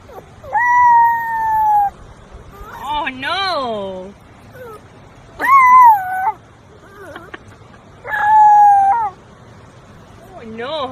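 An Australian Shepherd puppy gives high, drawn-out howls, each slightly falling, with a person speaking between them.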